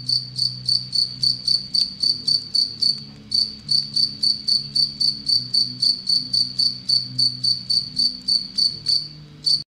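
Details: Anadrymadusa retowskii bush-cricket kept in captivity, a relatively aggressive species preying on Anacridium aegyptium, gives a long run of sharp, high-pitched chirping pulses, evenly spaced at roughly four per second, with a low background hum.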